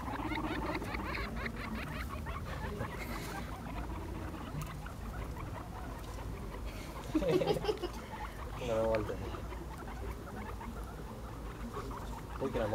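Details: Playful guinea pigs, five together, running after each other; soft squeaks and a few louder chattering bursts mid-way, with rustling movement and occasional human speech.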